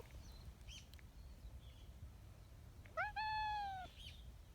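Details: Tabby community cat on a bench, seeking affection, gives a sudden high, husky meow: one drawn-out call of about one second that rises sharply, then holds level and fades. Faint outdoor background with a few soft short sounds beforehand.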